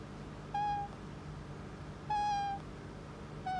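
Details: Pet otter living in a home, fussing to be petted: three brief, flat, high-pitched peeps about one and a half seconds apart over a faint indoor hum.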